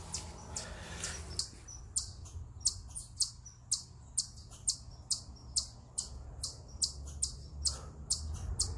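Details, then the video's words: Eastern chipmunk on a rock, a stress call of loud, piercing high chips repeated about twice per second, fairly steady, with a soft low hum beneath. "Eastern Chipmunk Vocalizing Upon A Rock"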